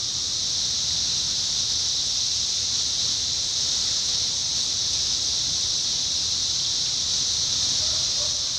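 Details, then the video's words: Chorus of 17-year cicadas recorded in Indiana during summer 2021, a constant shrill hissing drone at steady loudness throughout, with no pauses or other clear sounds. "10 Hour: Sounds of Cicadas Summer 2021: 17-Year Cicada"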